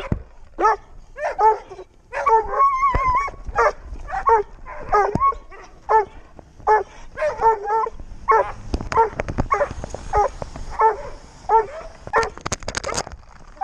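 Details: Young Doberman Pinscher, six months old, out on a walk and recorded with a GoPro, gives a steady series of sharp yips and barks, one drawn-out whine near the start, and scuffling noise toward the end.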